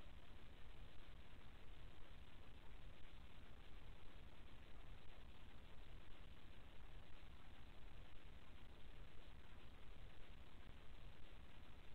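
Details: Steady low hiss of a night-vision camera in a quiet room, with no animal calls audible.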